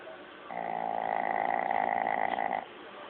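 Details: Old Shih Tzu named Lao Yun snoring while asleep, recorded long ago on an old mobile phone; one drawn-out, tonal, nasal snore lasting about two seconds, steady and buzzy, in a quiet room.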